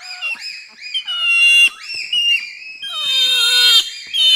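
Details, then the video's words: Four to six bonobos scream over an offering of sugar cane. Loud, drawn-out harmonic shrieks overlap, some bending down in pitch. A long strained scream swells in the final seconds. "Pygmy Chimpanzee / Screams & Shrieks As Reaction To Presentation Of Sugar Cane. 4-6 Chimps Shriekin"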